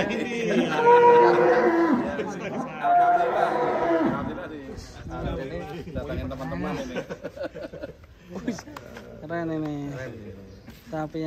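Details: Fat cattle at GST Farm, one of three animals shown as a unique, funny attraction. A loud, drawn-out, harmonic moo fills the first four seconds, then men's voices chatter over quieter farm noise.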